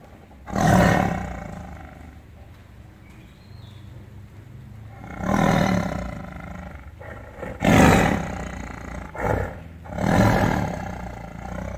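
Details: A tiger (Panthera tigris) gives deep, rasping roars, each a loud burst about a second long, repeated several times.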